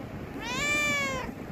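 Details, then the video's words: Hungry domestic cat crying for food: a single drawn-out, tonal meow lasting under a second, rising slightly then sliding down at the end, against a quiet indoor background. "Cat crying for food"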